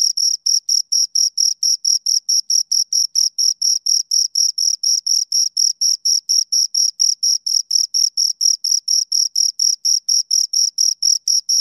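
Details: Continuous high-pitched chirping from two crickets, brief evenly spaced pulses repeating roughly four times a second with a thin upper overtone, nothing else audible.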